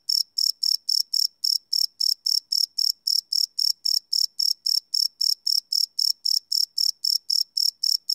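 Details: Nighttime cricket chorus recorded live with a Sony PCM D100 field recorder: a long, even run of shrill, high chirps about four a second, metronomic and unchanging, in otherwise quiet surroundings.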